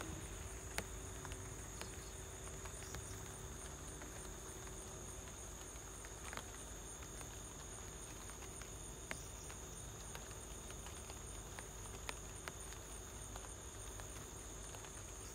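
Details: Cricket at home with light rain falling: continuous high, narrow trilling holds throughout, while scattered rain taps and faint clicks sound over a low, even background.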